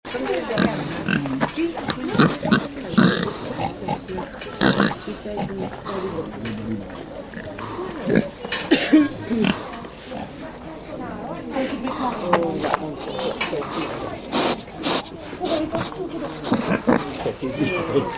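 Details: Pigs at the heavy horse show at Trimpley in 2010, snout snuffling, sniffling, snorting and grunting: dense bursts of breathy snorts and rough grunts follow one another almost without pause, with people's voices audible in the background.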